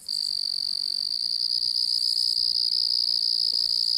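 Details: Distant crickets give a constant, steady, high-pitched trill that runs unbroken from start to finish.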